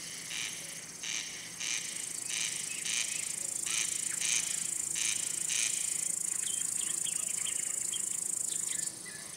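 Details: Male cricket chirping to attract or court females or scare off rivals, produced by rubbing the wings; short bright chirps repeated roughly twice a second over a steady high insect hiss, with a few thin bird-like notes later.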